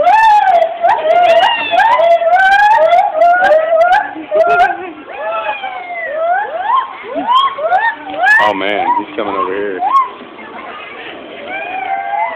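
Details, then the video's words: Loud monkeys calling at a zoo: a rapid run of whooping, siren-like notes that swoop up and down, overlapping and repeated many times, with some quieter gaps toward the end. "Loud ass monkeys at the zoo!"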